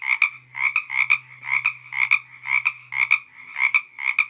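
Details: Frogs on the Santa Ynez trail, Toganga State Park, giving rapid rasping croaks, each a quick two-part pulse repeated about once a second, over a low steady hum.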